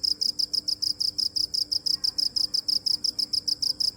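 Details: Cricket chirping steadily, a high, bright pulsed trill broken into short bursts about three times a second, evenly spaced throughout, with a faint low hum beneath and no other animals.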